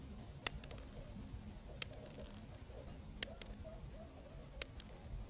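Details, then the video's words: Crickets chirping on a cool night in Zambia, a field recording. Short high pulsed chirps of several rapid pulses each, about six bursts spread irregularly over five seconds, with sharp scattered clicks and a soft low background hum. "귀뚜라미 우는 서늘한 잠비아의 밤"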